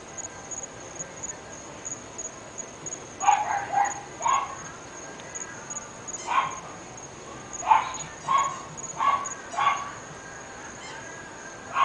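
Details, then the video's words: Distant barking from three pet dogs in North Bay Village, a run of about nine sharp barks, some doubled, starting after three seconds of quiet and recurring roughly every half second to second, with a steady high-pitched whine throughout. "Annoying Dogs"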